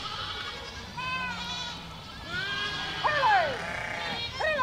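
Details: A goat herd crossing a village: a few drawn-out, quavering bleats start softly, then louder, higher cries rise near the end.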